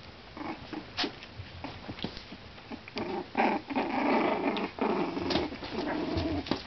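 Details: Miniature Schnauzer pups, four weeks old and purebred, at play: rough, buzzy growling and grumbling swells in the middle, mixed with scrabbling paws and short squeaky whines.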